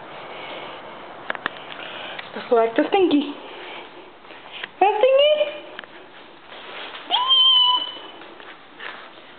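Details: Stinky, a female pet cat indoors in a small room, gives several drawn-out, wavering meows, some rising then falling, among a person's steady affectionate talk, with soft clicks and sniffing between calls.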